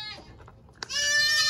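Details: Baby goat born in the 2022 kidding season on a small farm, letting out a sudden loud, flat, sustained bleat after a quiet moment and a soft click.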